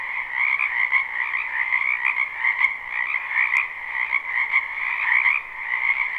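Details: Croaking frogs in a wetland during spring, captured live with no looping: a thick, even trilling chorus in two pitched layers, rising and falling gently in loudness, with occasional faint ticks.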